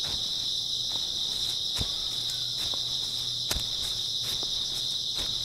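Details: Grass insects on an early autumn night keep up an unbroken, high, ringing chirp, while scattered footsteps crunch in the background, one or two of them sharper and louder.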